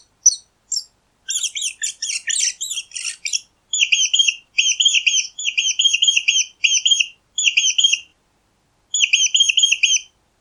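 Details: Squeaking mouse: a few isolated high peeps, then a busy burst of scratchy squeaks, followed by runs of short, rapid, evenly spaced high squeaks in bursts separated by brief silences.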